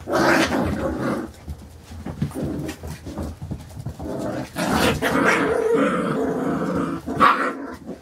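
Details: Carolina Dog puppies five weeks and four days old playing indoors, rough throaty growls and snarls in long sustained bursts with a few sharp yips, scuffling and thumps of play between them.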